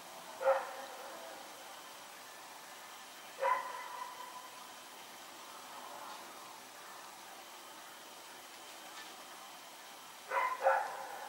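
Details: Rex runs about in the night barking, September 21, 2018: widely spaced single barks several seconds apart, ending with a close double bark, over a quiet hissing background.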